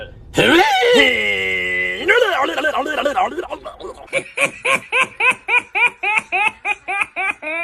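A goat gives a long wavering bleat, then a fast run of short, laugh-like bleats.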